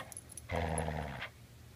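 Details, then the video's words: A Border Collie, refusing to return its ball while being asked for it, gives a steady, low, throaty grumble lasting under a second. The sound is deep and harmonic, with soft room noise around it. "Refuses to give ball back and talks. Hilarious talking dog"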